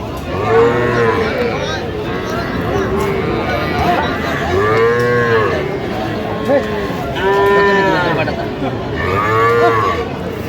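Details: Small Sahiwal calves, bulls and heifers, for sale at a cattle market in Madaripur, Bangladesh, on 13 January 2026: four or five drawn-out arched moos spaced a couple of seconds apart, with traders' voices and crowd murmur behind.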